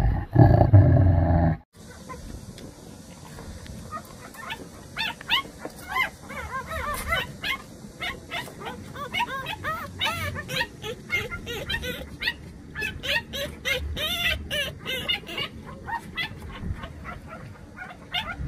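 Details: Jindo puppy brothers, about 187 days old and eager for the outside world, after a loud rustling start give a long run of short, high whines and yelps, each arching up and down, several per second, over a faint background hiss.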